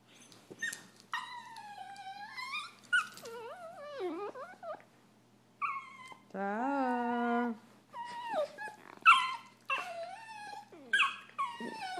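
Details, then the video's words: Annoyed Italian Greyhound brothers argue with long, falling and wavering whines, a sustained rising moan mid-way, then a rapid run of short yips and squeals. "Italian Greyhounds annoyed"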